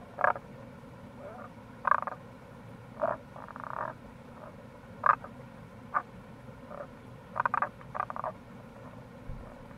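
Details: Tago's brown frogs recorded in April beside the Kamo River gorge, Itoshima, Fukuoka Prefecture, Japan, giving clusters of brief rasping croaks and a few drawn-out pulsed notes, roughly one call per second, against a constant stream roar.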